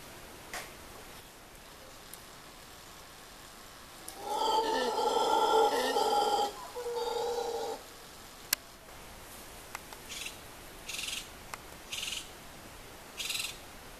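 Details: Black howler monkeys at La Ensenada, Costa Rica, in January 2013: one gives a deep, rasping roar in two surges, followed by brief high buzzy bursts.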